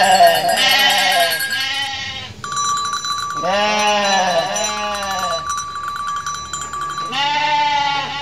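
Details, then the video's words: Mother goat from Indonesia bleating repeatedly in quavering, nasal calls that bend in pitch, in about three bursts close together. A sustained ringing bell-like tone continues beneath the calls. "INDUK KAMBING LUCU BANGET BIKIN NGAKAK | SUARA KAMBING"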